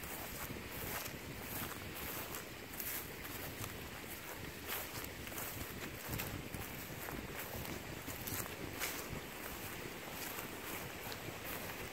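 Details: Steady wind buffeting the microphone, with soft footsteps and rustling across a harvested rice field; no animal calls stand out.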